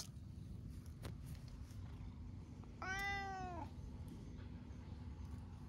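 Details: A single arching meow near the middle, rising then falling, from stray cats sunning themselves together, among them an orange tabby; soft outdoor noise and a few faint clicks around it.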